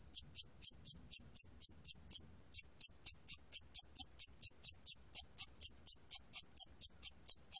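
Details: Siamese cricket giving rapid, evenly spaced high-pitched chirps, a little over two per second, with one brief break early on and no other sounds.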